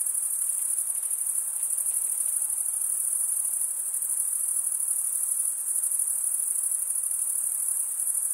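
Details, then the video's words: Male crickets stridulating, wing scraped against serrated wing vein, giving a constant shrill pulsing trill that fills the whole stretch, with quiet broadband hiss beneath. "Most relaxing cricket sound for 8 hours"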